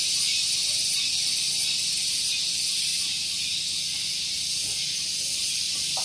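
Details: Morning cicada chorus at Gunung Geulis in Bogor, West Java, recorded close to a car park: continuous shrill, hiss-like buzzing with a gentle regular throb, loud and even from start to finish.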